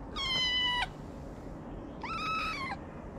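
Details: Stray street kitten in Morocco that has started climbing onto its feeder's lap, meowing twice: a clear high meow, a pause of about a second, then a second drawn-out meow with a slight upward start.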